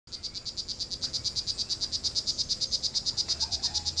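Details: Male poison dart frog calling in the wild, heard before being seen during a search: a fast, even train of high buzzy pulses, about three per second, steady throughout with faint low background hum.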